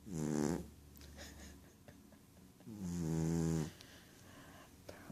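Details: Ragdoll cat Rohan dozing and dreaming: one short rasping snore, then a longer, deeper, droning snore after a quiet gap with faint clicks and rustles.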